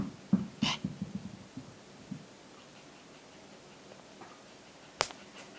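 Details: A 13-week-old Shiba Inu puppy at play utters a quick series of short, low growly pulses in the first two seconds, followed by quiet, then a sharp knock near the end.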